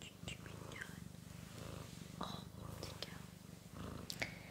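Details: Pet domestic cat purring indoors, a steady low rumbling purr with rapid even pulses running through the whole stretch, with soft whispering and small rustles over it.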